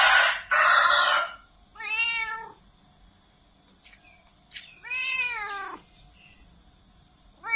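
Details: Cat meowing loudly, two long harmonic wails with a wavering pitch, preceded by a harsh hissing noise burst and followed by brief clicks and the start of another cry.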